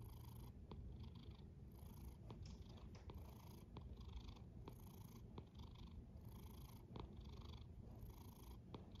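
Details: A cat snores softly. A continuous deep rumble sits under short airy pulses that recur roughly every second. It is a quiet, even, breath-paced rhythm with no other sounds.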